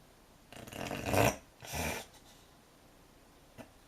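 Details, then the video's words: Asleep and snoring, a young American Cocker Spaniel makes two rough, snorting breaths in quick succession, then goes quiet apart from a faint click. "Snoring puppy !"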